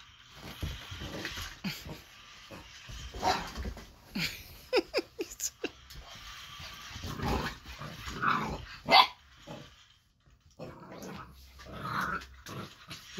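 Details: Baron, an eight-week-old Boxer puppy, reacts to the lights, sounds and movement of the Ollie interactive robotic toy with scattered short, sharp barks and yaps through the clip, with rustling and household noise between bursts.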